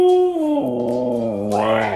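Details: Siberian Husky kept as a pet, talking indoors in a drawn-out, wavering howl that begins high, drops after a moment and then holds a steady moaning tone, rising slightly at the end.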